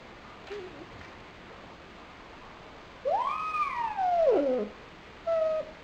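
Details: Lonely pet dog Pochi, nine months old, recorded February 12, 2007. One drawn-out, wavering whine swells upward and then slides back down. A short, level whimper follows it over quiet background hiss.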